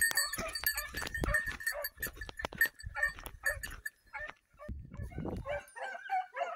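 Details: Basset Fauve de Bretagne hounds training on wild boar in an enclosed park at La Bastide in 2023 bark and bay in quick, overlapping bursts.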